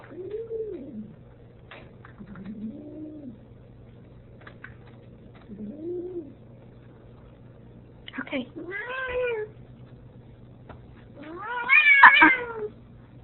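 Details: Ragdoll cat, female, talking back indoors when her owner wants to go out; a string of soft arched meows growing into louder, harsher complaints, with a woman's voice speaking between them.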